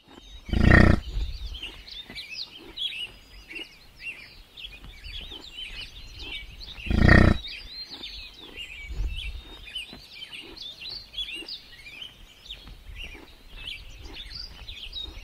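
A buffalo gives two short, deep bass grunts several seconds apart while small birds chirp steadily behind.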